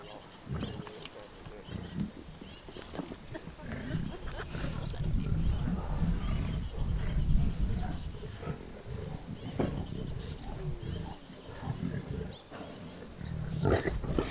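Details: Wild lions feeding on a freshly killed wildebeest around Kruger National Park, South Africa, recorded during a game drive; continuous deep growling and snarling that swells around the middle and end, with quiet human voices nearby.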